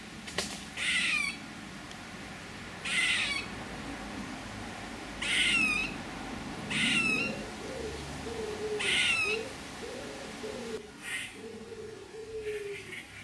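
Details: Squirrel repeating harsh, scratchy calls with quick descending chirped tails, five in a row about every two seconds, followed by soft, low, tonal murmurs and faint rustling.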